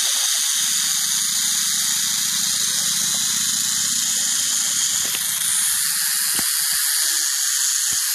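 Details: Continuous hissing buzz of a western diamondback rattlesnake's rattle, loud and unbroken across eight seconds, over a soft low rumble and a few brief clicks near the end.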